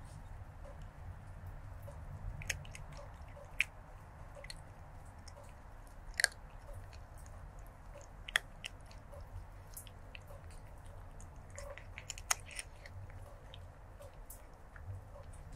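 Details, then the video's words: Stray kitten eating, recorded close up on 23 January 2024 with a lavalier microphone: sparse, soft crunches and sharp clicks scattered over a steady low room rumble, with a few louder bites. "Stray Kitten ASMR Eating & Crunching Food Sounds"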